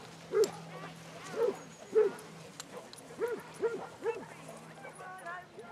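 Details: Basset Hounds out on a group walk of 22 at Belwade Farm, Dess, Aboyne, in October 2016: six loud, arched yelping bays at uneven intervals, some paired, then quieter chatter and a low hum.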